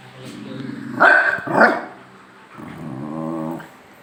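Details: Pet dogs in playful squabbling, a low growl leading into two sharp barks, then another rumbling growl lasting about a second.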